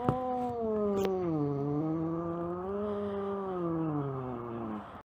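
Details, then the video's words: Domestic cat giving one long drawn-out meow lasting nearly five seconds, a harmonic-rich wavering tone that dips, rises slightly and fades at the end, with a couple of brief clicks near the start. "Cat Meows Compilation"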